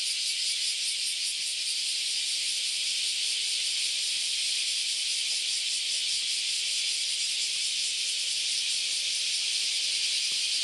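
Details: Numerous cicadas on Kyoto's Philosophy Path on an August Sunday morning produce an intense, unwavering high buzz, faintly pulsing, with no other clear sounds.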